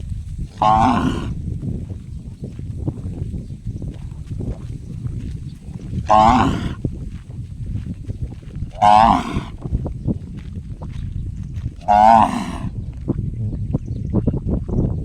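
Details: Cow making an unusual gong-like call: four loud, ringing, harmonic calls, each about half a second long, spaced irregularly three to five seconds apart over a steady low rumbling background.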